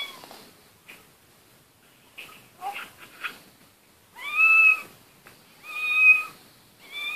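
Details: Pet cat meowing: three clear, tonal, slightly drawn-out meows in quick succession near the end, preceded by softer scattered squeaks and rustling; a brief Korean voice before.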